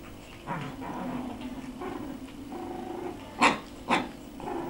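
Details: Two six-week-old puppies, dated 14 January 2013, growl in low, rough, drawn-out grumbles over the first three seconds, then give two sharp, loud barks about half a second apart.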